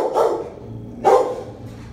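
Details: A 4-year-old female Rottweiler gives two deep, gruff barks about a second apart.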